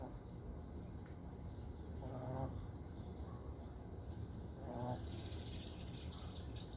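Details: Sydney, a dog fast asleep, snores in two rasping, harmonic breaths a few seconds apart over a steady low hum and faint background hiss.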